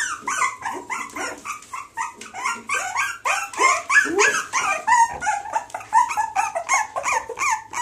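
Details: Yelping Springer Spaniel x Jack Russell cross dogs, from a female Springer Spaniel and a male Jack Russell, pour out dense, overlapping high-pitched yelps and whines that rise then fall, about three a second.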